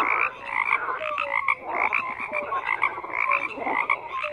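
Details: Frogs croaking in a dense chorus with rapid repeated croaks, short falling whistled notes and harsh pulsed bursts overlapping throughout.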